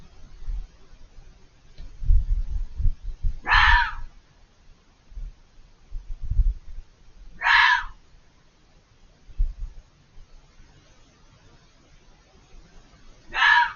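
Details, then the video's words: Fox screaming out of sight behind a hedge: three harsh, shrieking calls spaced about four to six seconds apart, with low thumping and rumbling noises in between. "The chilling sound of a fox screaming"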